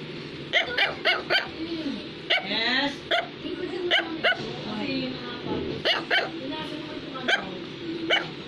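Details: An Affenpinscher, a toy breed of dog, gives repeated sharp, squeaky barks, sometimes single and sometimes in quick clusters, while a child's voice and other speech run between the barks.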